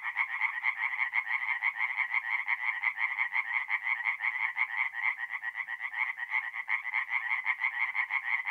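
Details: Several tree frogs chorusing by night at a forest pond, north-east Italy, mid-April: quick repeated nasal croaks, roughly three per second, layered over one another in a constant racket.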